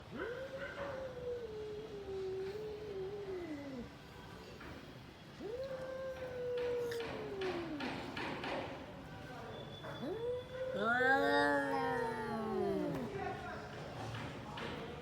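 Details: Cats fighting: long drawn-out moaning yowls, each holding steady then sliding downward over about three seconds, three cries in all, the last rising into a strained, wavering wail, over a background of low noise.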